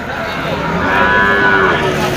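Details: Cattle at a large bull and cattle market in Moukhara on 31 August 2025: a drawn-out, low moo with layered harmonics swelling in the middle, under constant crowd chatter and men talking nearby.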